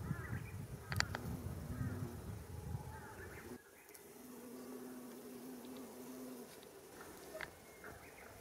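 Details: Female bumblebee, Bombus diversus diversus, taking off while feeding on nectar at white Japanese fairy bells flowers along a mountain path in Japan, mid-May 2018: rumbling low noise, then a steady low droning hum lasting about two and a half seconds, with brief high chirps.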